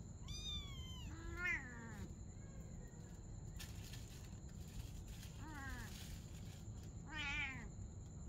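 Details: Domestic cats, a mother and her kitten playing together at night: several clear, high harmonic meows, one long falling call then shorter arched ones, over steady low background hum and a constant high electronic whine.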